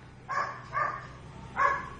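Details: Large pet dog Nina gives three muffled, mid-pitched barks, two close together and a third after a pause of almost a second, over a faint steady background hum while her name is called.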